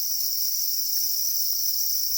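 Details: Black crickets calling angrily while guarding their eggs: a steady, unbroken high shrill with two bright bands, dense and continuous like several insects trilling together, with no other sounds.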